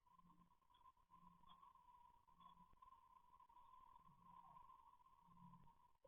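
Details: An English Bulldog snores loudly in low, rhythmic rumbles, about one each second, under a steady electrical whine, recorded on CCTV.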